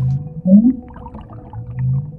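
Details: A critically endangered North Atlantic right whale gives a brief, low-frequency rising up call like a soft cow moo, picked up by hydrophone during its 2023 migration along the eastern US coast.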